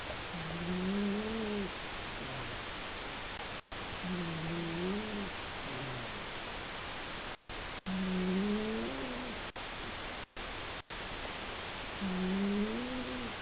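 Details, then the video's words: Sleeping house cat named Seven, a male whose snoring is louder than his owner's. Low, slightly wavering tonal snores repeat about every three to four seconds, each breath rising and dipping in pitch. Short dropouts break the quiet indoor background. "Snoring Cat"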